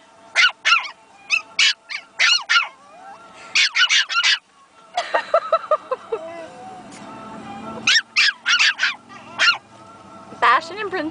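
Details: Pomeranian puppies Princess and Bastian in their first barking fiasco, yapping back and forth: clusters of shrill yips, then a stretch of wavering whines and squeaks before more sharp barks.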